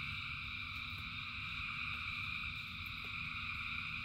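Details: A frog chorus in the rain: countless frogs sing at once in a continuous, buzzing drone stacked at several pitches, over a steady low rumble of falling rain.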